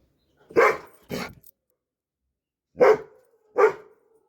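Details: Four deep, gruff barks from a Dobermann, in two pairs: two quick barks, a pause of over a second, then two more, the third trailing into a brief whine.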